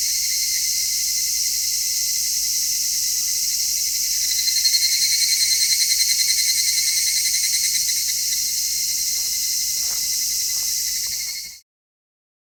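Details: Midsummer cicadas in a real outdoor scene, captured in stereo on an MKH-416 microphone: a dense, shrill, continuous buzzing drone that swells with faint pulsing midway, then cuts off abruptly near the end.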